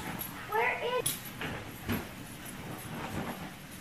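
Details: Shiba Inu giving one short, high, wavering whine that rises and falls in under a second, followed by soft thumps and human voices in the background.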